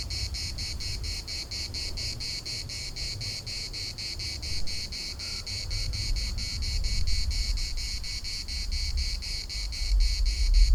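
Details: Steady pulsing drone from cicadas in a Larnaca municipal park, quick even beats of high buzzing that never pause, wind murmuring low in the background.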